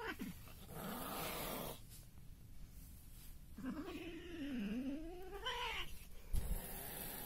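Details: Indoor meeting of cat Mokles with his mate Sapi: a long wavering, moaning cry of about two seconds dips low then climbs in pitch, preceded by a shorter low moan, over hissy background noise.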